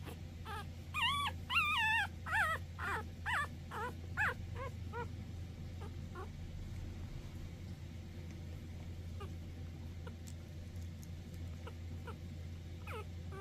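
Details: Cavalier King Charles Spaniels, one of three siblings, whimpering: a burst of high, wavering, whiny yelps over the first five seconds, then quiet with faint clicks and a steady low hum.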